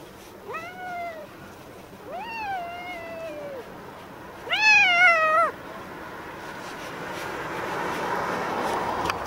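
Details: Stray black-and-white tuxedo cat with a mustache-like marking, meowing while being brushed and groomed: three clear meows in about five seconds, each rising then gliding down, the last one loudest and shortest, over a soft background hiss.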